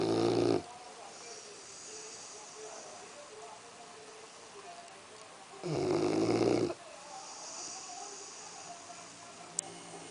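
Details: Axel the Labrador Retriever snores while asleep: two loud, harsh snoring breaths about five seconds apart, separated by quiet room tone and a faint voice.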